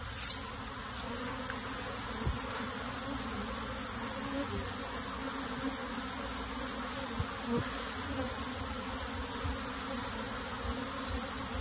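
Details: Honey bees from a colony being moved into a hive box, a continuous massed droning hum with a few faint clicks and taps scattered through.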